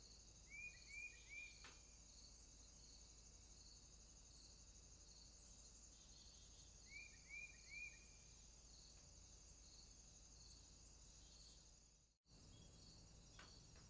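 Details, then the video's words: Swamp crickets trilling at night in constant high bands, while another creature gives two quick runs of three short rising chirps; a brief dropout near the end. "Crickets, swamp sounds at night"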